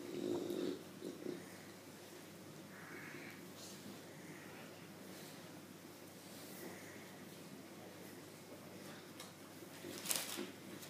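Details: A female English Bulldog, teased during play and showing her teeth, grumbles and snorts in low, rough bursts, breathing noisily between them.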